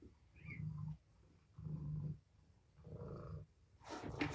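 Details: Tommy, a young kitten from Patience's litter of five at Purrfect Pals, sound asleep in the morning: three deep, rumbling breath-like bursts roughly a second apart, ending in a brief sharp rustle.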